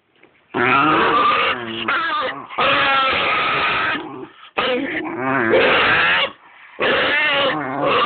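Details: Basenjis getting acquainted give wavering, yodel-like howls and warbles in long bursts with short pauses between them.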